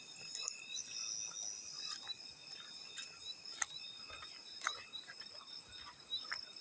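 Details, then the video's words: Field cricket calling mixed with water splashes: an unbroken, piercing high trill in stacked bands, punctuated every second or so by crisp splash and drip sounds. "Field Cricket + water splash sounds"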